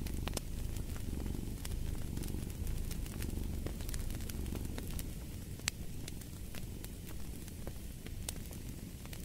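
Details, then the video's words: Continuous rumbling purr of a cat, even and rhythmic with gentle swells, mixed with dense crackling and sharp snaps of a fire. "Fall asleep to the Purring of a Cat"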